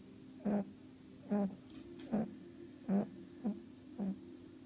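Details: A female rabbit at a rabbit orphanage sleeps after a long day of greeting visitors. Six short, soft, nasal snorts come at regular intervals of roughly 0.8 seconds in a quiet room.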